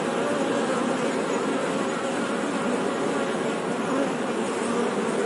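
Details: Continuous droning buzz of honey bees, a thick, level hum with stronger low tones under a wide rasping haze, keeping constant volume for the whole stretch.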